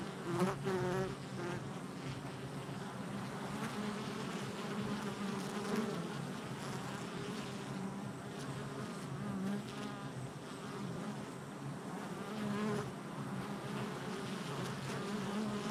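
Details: Continuous swarm buzz of honey bees busy at the hive entrance, recorded July 22nd, 2024; layered wingbeat drones hold steady, with individual bees whining past louder near the start and now and then throughout.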